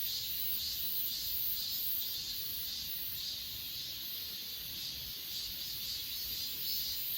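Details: On Achasan mountain, a crowd of grass insects keeps up a high, buzzy, steady trill with regular soft pulses close to two per second, captured by an S20 Ultra phone over quiet low background noise.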